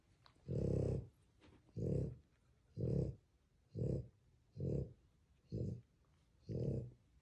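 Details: French Bulldog puppies, two young males, indoors: a series of seven low, rough grunting huffs, each about half a second long, spaced roughly one second apart, with quiet pauses between them.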